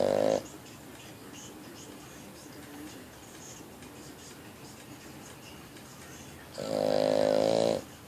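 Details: Boston Terrier male sleeping and snoring: a snore fades out at the start, quiet breathing follows, then another long, tonal, buzzing snore swells up about six seconds later.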